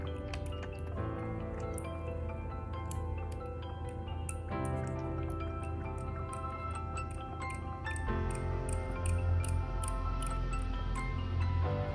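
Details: Steady instrumental music with repeating bright plucked notes, a drip-like ticking rhythm and a deep sustained bass, with no animal voice audible.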